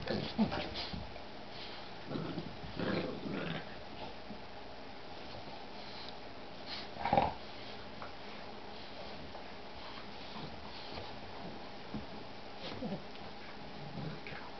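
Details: Playing puppy, a Boston bulldog crossed with a Shar-Pei, making intermittent low growls and grumbles with one sharp yelp midway, separated by quiet stretches in a small indoor room.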